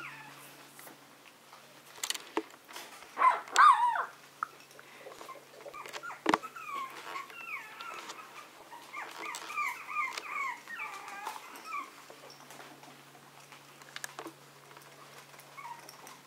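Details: Young Maltese dogs at play give a burst of high, wavering whimpers and yips, then a long run of quick, repeated whiny yelps, several per second, over light clatter and a low hum.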